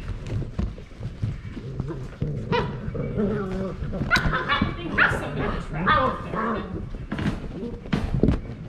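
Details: Several 8-week-old German Shorthaired Pointer puppies playing at midday: bursts of high, squeaky yelps and whimpers clustered near the middle, over constant rustling, bumps and human voices.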